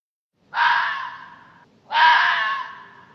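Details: Hoary fox, the raposa-do-campo, gives two harsh, hoarse screams about a second long each, separated by a short pause, with a rough broad tone and no other sounds.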